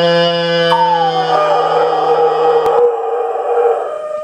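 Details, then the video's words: Airedale Terrier male dog 'singing': a sustained, wavering howl that slides down from a higher opening note and holds a steady tone, with a faint hum of another tone underneath. "Airedale Terrier, Archi-Boy Singing"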